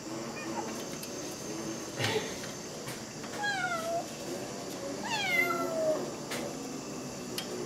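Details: Cat outside at night wanting to get in, pressing at a window with a mosquito net; two clear falling meows with bright harmonics, one near the middle and one longer later, over a steady hum and light indoor noise.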